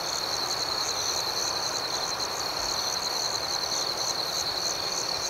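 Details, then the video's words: Steady cricket chorus at night, a bright unbroken high trill with an upper band of chirps pulsing about four times a second, evenly sustained throughout. "Soothing Cricket Sounds"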